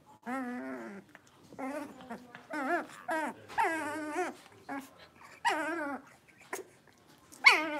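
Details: Blenheim Cavalier King Charles Spaniel puppies, five littermates born at New Year, playing in a home puppy pen: high whiny whimpers and yelping growls in short bursts, several pups overlapping, indoors.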